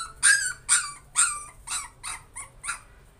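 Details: Frightened baby puppy working through its fear, letting out six high, squeaky yips at roughly half-second intervals, the first three loudest and the later ones softer and more whining.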